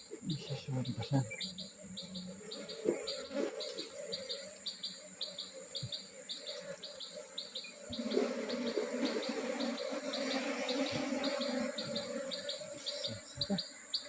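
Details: Honey bee colony just moved from a traditional log hive into a modern hive, with the queen gone inside; a steady low hum of many bees under rapid short repeated high chirps, with occasional clicks and bumps.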